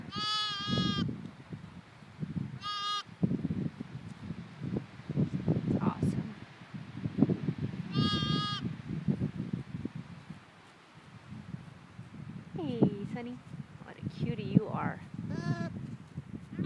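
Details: Newborn lambs, two of them just four hours old, out in a field with their mother; several short harmonic bleats ring out over steady low rustling and handling noise, with people talking nearby.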